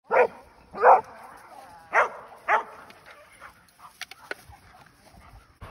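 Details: A pet female Airedale Terrier barks after finally getting out of the house: four loud, harsh barks in the first three seconds, the last two close together, followed by a person calling her to come.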